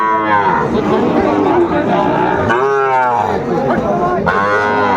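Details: Sahiwal cattle, young bull calves around six months old, at a Tuesday cattle market in Comilla, Bangladesh, August 2024: two short, bright moos break through constant market chatter, the second near the end.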